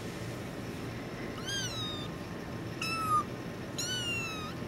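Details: Three faint, drawn-out kitten meows with rich harmonics, each slightly falling, from Badger the tuxedo kitten when held, set against a noisy, hissy background.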